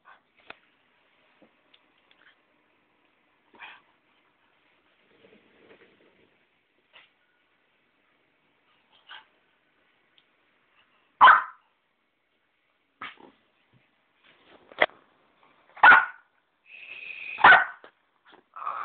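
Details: Puppy on a bed indoors, giving short scattered whimpers and yelps, faint at first and growing louder and more strained toward the end, with a longer whining note near the close.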